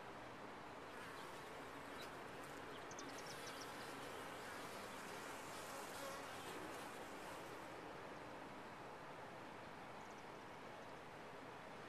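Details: Honey bees inside a top-bar hive, a dense, steady colony hum filling the whole twelve seconds at an even loudness, with faint higher whines drifting above the drone in the middle section.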